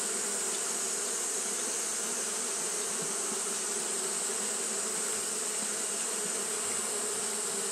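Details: Droning hum of Japanese honey bees fanning throughout a hot day, even and sustained with a faint flutter in the low tones, plus a persistent high hiss.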